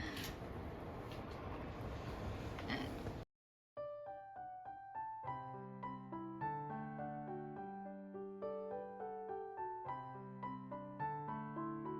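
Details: A short burst of rustling noise, a brief silence, then gentle electric piano music playing steadily, with no animal voice.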